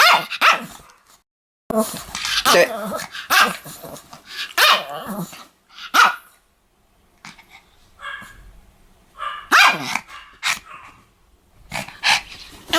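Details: Snappy, high-pitched barks from a Pomeranian said to go after people, fired in rapid runs with raspy growling tones between them, and a brief lull before the barking resumes.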